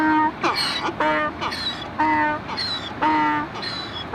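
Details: Donkey braying in a repeated hee-haw: a low, steady, droning tone alternates with higher, wheezy, rising notes, roughly one cycle per second, over a noisy background.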